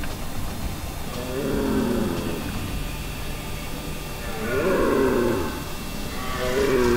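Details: A red deer stag (Cervus elaphus) bellows during the rut in Val di Pejo, Stelvio National Park, Trentino, giving deep, drawn-out roars repeated every few seconds as a mating call.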